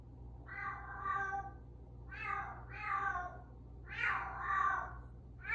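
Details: Bengal cat meowing indoors, as it does every morning and evening at 8:02; a series of drawn-out, falling harmonic meows, about five in under six seconds, over a low steady hum.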